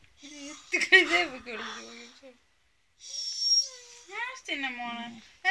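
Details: Adult female beagle growing angry while being teased by a person: two bursts of tonal, wavering grumbles whose pitch bends up and down, split by a short pause with a brief hissy rush of noise.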